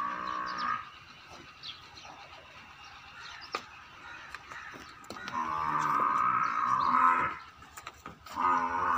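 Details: Young female buffalo offered for sale at a dairy farm in Rajanpur, giving a brief low moo at the start, then a long, loud, nasal bellow midway and a shorter one at the end, over farmyard rustling and clicks.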